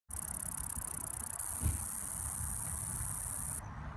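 An insect gives a very high, dry buzzing trill over a low background rumble.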